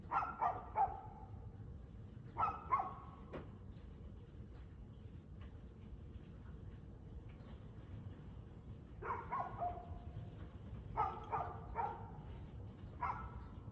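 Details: Dog barking at 6:02 pm on 2 February 2024, in bursts of two to four sharp barks spaced by long pauses, with steady low background rumble between volleys.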